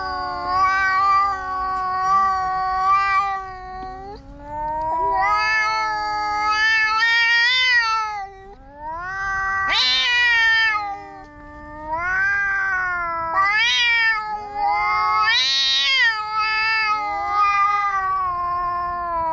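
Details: Loud quarrel between two black stray cats in a park, a near-continuous stream of moaning, wavering yowls that swell and bend in pitch, with sharper rising cries breaking in around the middle and toward the end.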